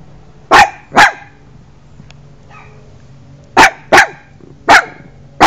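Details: Quick bursts of puppy barking come in pairs, two early then four more after a pause, each one short, bright and forceful, with a pet tortoise nearby and a faint background hum.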